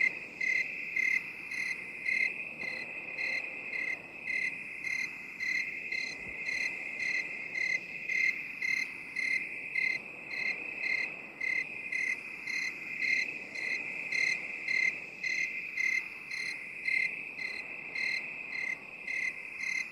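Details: Twenty seconds of cricket song in an 8D binaural relaxation mix. Short shrill chirps keep a steady beat of about two per second. Loudness swells and fades gently over a constant high trill.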